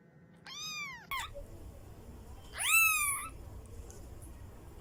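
A Persian kitten gives two high, thin meows that rise and then fall, each under a second long.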